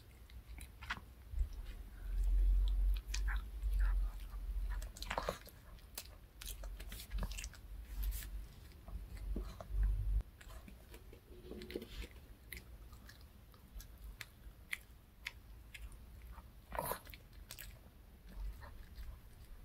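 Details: Reka, a pet dog, eats a handmade fish-shaped bun treat indoors: irregular crunching and biting clicks, with heavy low thumps early on as the bites land and a few loud sharp snaps near the end.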